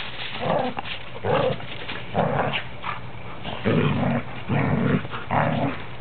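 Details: Three standard poodles, a parti, a black and a cream, playing together, the cream one said to sound like a grizzly bear; rough, low growling bursts come in about seven separate pulses, roughly one a second, with brief quieter gaps between them.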